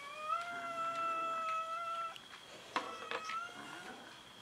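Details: Cats fighting over food: one long, steady, drawn-out meow lasting about two seconds, then a sharp bang and a shorter, rising meow.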